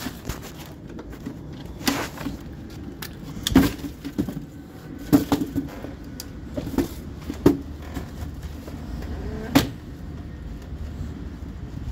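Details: Indoor knocks, thumps and scraping over a low steady hum, with no clear animal voice.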